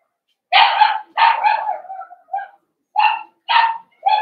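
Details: Young blenheim Cavalier King Charles Spaniel puppies from a litter of five born at New Year give a run of sharp, harmonic yips and short barks, about one per half second, indoors in a puppy pen.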